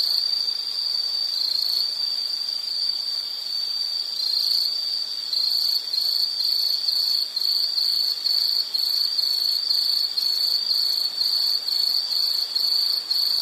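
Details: Calming insect night sound: a high shrill trill, steady at first, then breaking into rapid pulses about twice a second, with a faint hiss behind.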